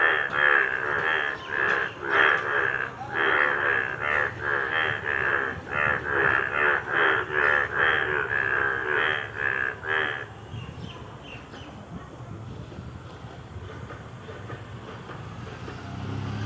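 A frog calls for about ten seconds in a fast series of rasping, pulsed croaks, each note quickly following the last. After that only faint background hiss remains.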